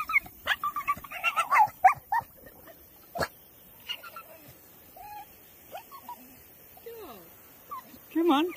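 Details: Staffordshire Bull Terrier bitch whining for her stick, with squeaky, wavering whimpers that bend up and down, some short and choppy, others drawn out. A person talks to her and there are sharp handling knocks.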